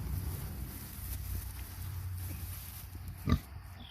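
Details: Kunekune pig: Betty, a 14-month-old sow, with her 4-day-old piglets. Low, steady rhythmic grunting rumbles throughout, with one short, sharper, louder burst near the end.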